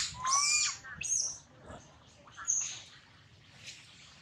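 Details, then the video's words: Crying of baby monkey Lola, pained from sliding down a tall tree, a high thin wail rising at the start, then a string of short piercing squeaks and shrill screeches. "Lola cry cry hurt too much"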